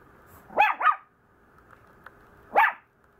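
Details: Complaining Maltese puppy letting out a quick double yap followed by a single yap, each short, rising and high-pitched, against a low steady background hum.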